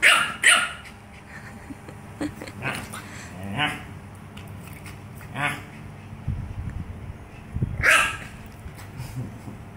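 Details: A female French Bulldog gives short, sharp barks and yips while playing, with a person's voice nearby.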